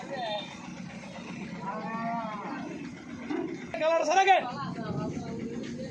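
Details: Buffalo amid market crowds. A short rising moan comes first, then a louder, strained bellow about two seconds later, surrounded by people talking and general bustle.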